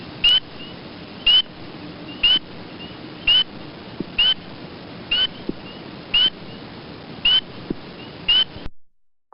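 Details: A spring peeper, played as an audio clip in frog-monitoring training, gives clear, high, upslurred peeps, one about every second.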